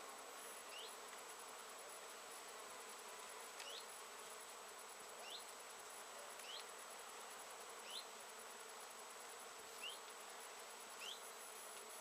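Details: Swarming honey bees busy at flowering Japanese knotweed in late season, 14 September 2013; a continuous broad droning hum of many insects, overlaid by short rising bird chirps repeated roughly every one to two seconds.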